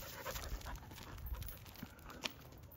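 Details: Nine-month-old Jindo dog out on a walk with its owner: soft, rapid breathy panting in short rhythmic bursts, low and noisy, with faint rustling and a brief sharp click near the end.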